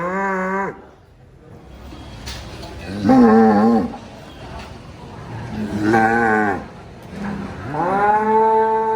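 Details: A jumbo cow gives several long, deep moos, each a rich, drawn-out bellow.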